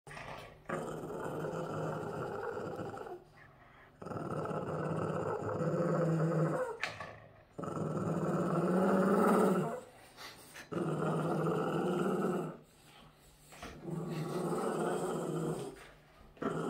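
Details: A Boston Terrier guarding his socks indoors and not letting anyone take them growls in long, rough, rumbling bouts of about three seconds each, separated by short quiet gaps, with a few faint higher tones riding on the growl.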